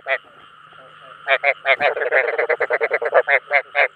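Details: Rice-field frogs calling to draw others of their kind, scattered croaks at first, then a fast run of harsh rattling notes, several per second, over a quiet low electrical hum.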